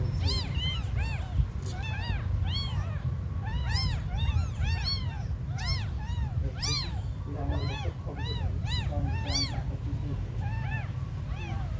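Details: Small abandoned kittens mewing almost nonstop: many overlapping high, arched cries in quick bursts throughout, over a steady low-frequency hum.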